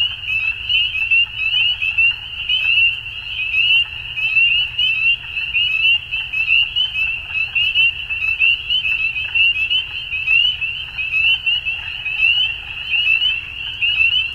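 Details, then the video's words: Frogs calling at dusk in a dense chorus: countless overlapping high, short rising chirps merge into a steady, shimmering band that never pauses, with a faint low rumble underneath. "Frogs At Dusk"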